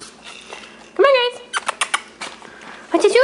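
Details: Male Shih Tzu puppies, six weeks old, playing together. Two sharp, tonal yelps that rise then dip, one near the start and one at the end, with quick clattering sounds between and a person speaking nearby.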